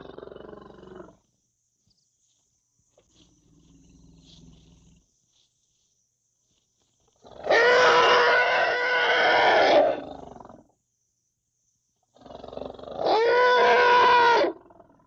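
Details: Calf of the African elephant: quiet low grumbles at first, then a loud, rough squealing trumpet of about two and a half seconds and a shorter, clearer, steadier squeal a few seconds later.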